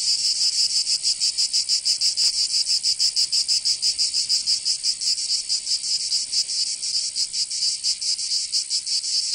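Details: Cicadas of Provence in southern France sing through summer heat. A bright, raspy buzz rises and falls in quick rhythmic throbs over a steady high hiss, with one faint click early on.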